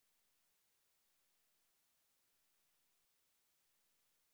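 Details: Steady katydid (우리여치) stridulation, recorded in 2020 by the National Institute of Biological Resources: sizzling high buzzes of roughly 0.6 seconds, repeated about every 1.3 seconds, with a fourth just starting at the end.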